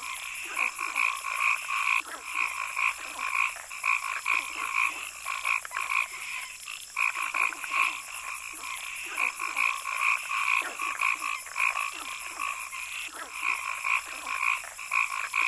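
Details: A chorus of frogs calling in the forest: overlapping short croaks with bright harmonic bands, repeated roughly twice a second, over a steady high insect-like hiss and softer lower chirps.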